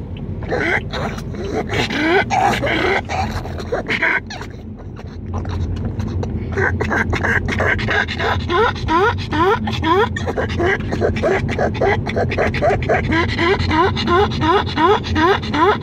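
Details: Pug over-excited in a car, with the air conditioning on and the car cool, so not hot; rapid, repeated, high squeaky rising whines, about 160 a minute, building in the second half over a steady car rumble.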